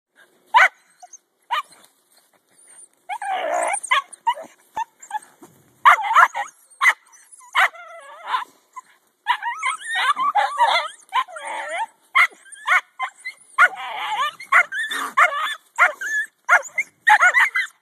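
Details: Jack Russell Terriers digging a raccoon out of a stump hole after snow. Irregular sharp barks come in uneven bursts, mixed with high whining yips and short pauses of near silence between volleys.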